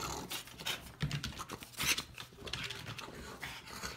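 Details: French bulldog Pororo, recorded indoors on an iPhone 7 Plus or iPhone 6 during a camera comparison, panting in quick, rough, breathy bursts with snuffly low grunts between them.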